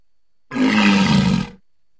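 A walrus gives a single deep, rough bellow lasting about a second.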